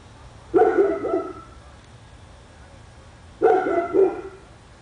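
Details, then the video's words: Dog barking on Spruce Street, Royse City, Texas, where one or both dogs reportedly bark for many hours a day. Two bark bursts about three seconds apart, each a pair of quick harsh woofs, with quiet between. "Our dog barking on Spruce Street, Royse City, TX"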